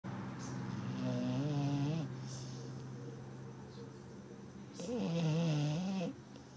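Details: Zuro, a Labrador Retriever, snoring: two long, droning breaths with a wavering, slightly rising hum, each lasting about a second, separated by a quiet pause indoors.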